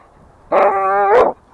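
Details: An American Staffordshire Terrier, out to play near home and sulking at its owner, gives one drawn-out, steady, tonal whine lasting under a second, with a strong rich-toned voice and a quiet background.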